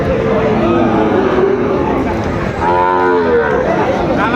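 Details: Sahiwal cattle, young bulls and calves, at the Aftabganj cattle market in Dinajpur, Bangladesh, on market day, 2 September 2025. A long harmonic moo swells midway through a dense background of other lowing animals and crowd murmur.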